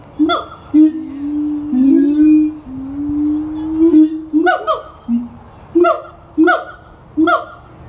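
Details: Siamang gibbons at a zoo in Florida sing: long, low hooting notes, then loud barking whoops repeated about every second.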